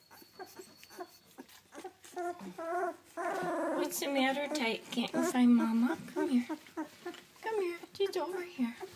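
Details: Two-week-old British Labrador Retriever puppies, seven in the litter, whelped May 30, 2013, indoors with their mother. Overlapping high wavering whimpers, squeals and grunts come in busy bursts, with a woman talking softly to them.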